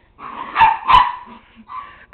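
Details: A one-year-old pet Miniature Pinscher, spinning after a flashlight beam with a second dog present, gives two strong barks followed by a softer one, then a man starts speaking.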